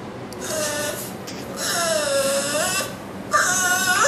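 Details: A Chihuahua, excited after overhearing a video of a French Bulldog, gives a series of tonal, whimpering, sing-song yowls that rise and fall rather than sharp barks. The cries come in several long, wavering phrases in a small indoor room.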